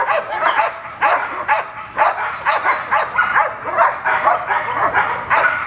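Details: At protection training, the female dog Gold barks at a new decoy whose style differs from what she knows. Steady clipped barks recur roughly twice per second throughout.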